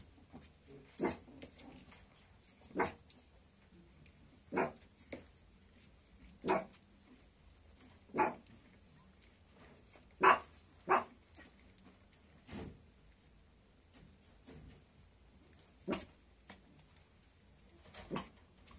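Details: A puppy giving short, sharp yelps or barks about every two seconds, around eleven in all, some doubled, with quiet room background between them.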